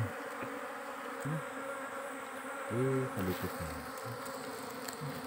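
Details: Wild giant honey bees swarming around a forest nest cut for honey; steady droning hum with several louder, deeper passing buzzes as individual bees fly close, plus a few sharp taps.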